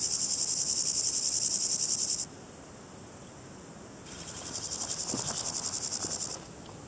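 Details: Variable Chorthippus grasshopper (Chorthippus maritimus) making two high, hissing, pulsed buzzes of a little over two seconds each, separated by a two-second silence. The second buzz starts softer and grows louder before cutting off.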